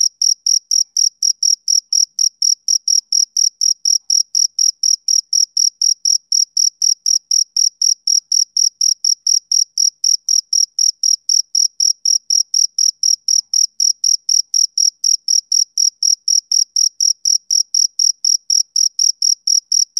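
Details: A male cricket gives a long unbroken run of bright, high chirps, roughly four each second, metronome-like and unchanging, against a silent background.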